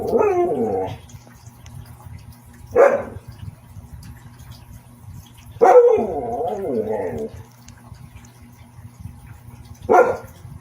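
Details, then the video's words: Siberian Husky voicing four separate yowls, the first and third longer and sliding downward in pitch, the others short and sharp, over a faint low hum. "Tunog ng SIBERIAN HUSKY | Sound of SIBERIAN HUSKY"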